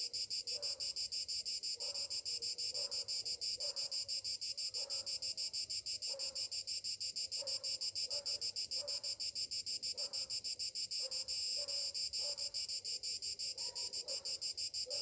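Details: Summer morning chorus of cicadas, a steady high-pitched buzz throbbing in fast regular pulses roughly three per second, with faint lower chirping notes scattered through the background.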